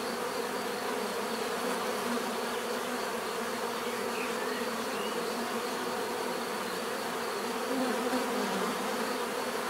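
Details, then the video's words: Dense natural buzz of bees, a constant full-bodied hum with overlapping tones, steady from start to finish, one insect passing a little closer near the end. "bees therapy relaxing natural buzzing sound"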